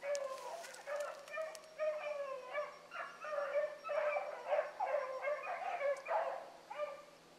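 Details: Young hounds, including Ringo, running a rabbit one morning: dense, rhythmic pack baying, many short bawls tumbling over one another, then thinning to a final lone bay.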